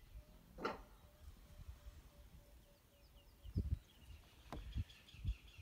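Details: Mother nyala barking as she searches for her fawn while a male leopard cub chews on it; one sharp, harsh broadband bark early on, followed by soft repeated bird chirps and low thuds against quiet rural background.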